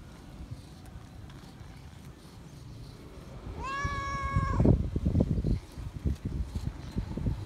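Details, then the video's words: Feral cat calling for attention and love: one clear, slightly arching meow around the four-second mark, followed by bursts of rustling and thumping handling noise. "Feral Cat Still Remembers Me, Meowing Loud For Attention And Love - Cats Meowing"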